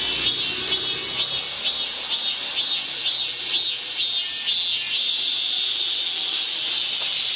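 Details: Cicadas in midsummer heat at a park in Guro-gu give a high, hissing buzz that pulses about twice a second, then settles into a steady drone.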